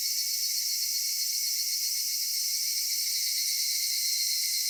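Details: In a cedar forest at summer dusk, cicadas keep up a constant high, shimmering drone in stacked bands, steady in loudness throughout, over a faint low murmur.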